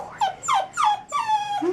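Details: Puppies whimpering up close: four high whines, each sliding downward with bright overtones and lasting about a quarter second, the last one lower and rising at the end.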